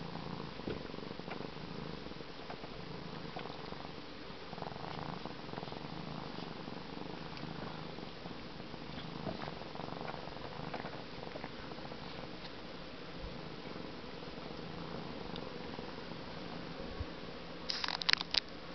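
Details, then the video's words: A 13-week-old African serval purring on a boat captain's chair after swimming in Lake Erie: a steady, continuous low rumbling purr throughout, with a brief sharp knocking sound near the end. "African serval (13 weeks old) purring after swimming in the lake Erie"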